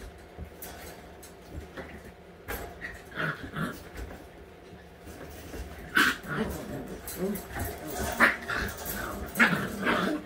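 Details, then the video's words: White Husky puppies at eight weeks old during playtime, giving scattered soft whimpers and short high yips, with rustling, thumps and faint human voices in the background. "ALL white huskies puppies- week 8 playtime"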